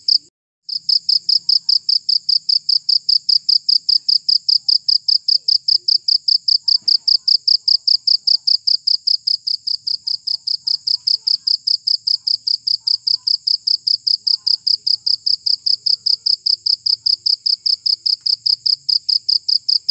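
A cricket chirps steadily, giving high, pure pulses about two or three times a second.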